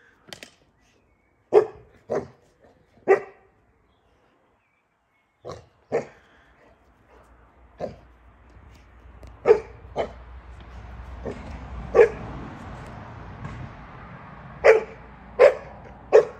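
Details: Boerboel puppy playing outside with a water bottle: short sharp barks and yips, irregularly spaced, some in quick pairs, with crinkling and rustling between them.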